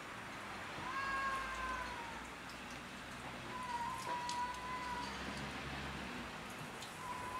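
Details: Cats quarrelling over territory on house roofs, with several long, wavering, drawn-out yowls spaced a few seconds apart. They sound fairly distant beneath a steady hiss and scattered light ticking noises.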